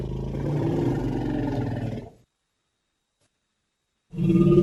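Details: Elephant giving low, throaty rumbling growls, a two-second rumble, a pause of silence, then another deep rumble starting.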